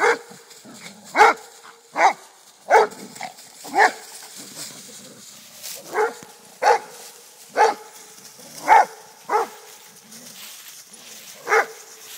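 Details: Rhodesian Ridgeback father and son in friendly play fighting with a black dog friend; sharp barks repeated roughly every second, about a dozen in twelve seconds, with soft whining between them.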